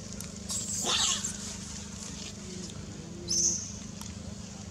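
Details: Monkey Rex of the Mila group, bitten by Jane while trying to play with Jody: two shrill, high screeching bursts, one around the first second and a shorter one near three and a half seconds, over a constant low droning hum.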